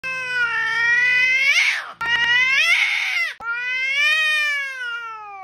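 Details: Angry cat giving three long, drawn-out yowls, each wavering and rising in pitch before falling away, the second and third following almost without a break.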